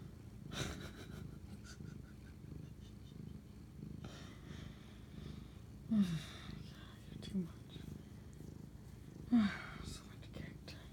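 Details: House cat purring late at night, 11:07 pm on March 25, 2019, while bonding with its owner; a low constant rumble underlies the clip, broken by three short voiced sounds and some rustling.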